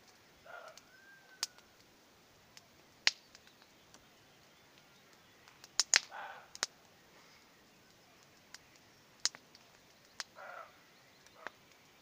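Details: On a spring evening with hawthorns blooming, a distant roe deer gives three harsh, hoarse bark-like calls several seconds apart near a bonfire.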